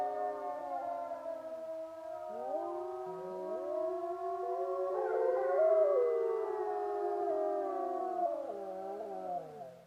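Several wolves howl together, their long sliding tones overlapping in a wavering chorus.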